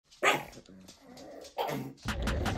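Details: Three pug dogs on a road trip, kept at a hotel during rainy weather; a sharp, loud bark bursts out at the start, then two more bark bursts follow about a second apart, with indoor room noise.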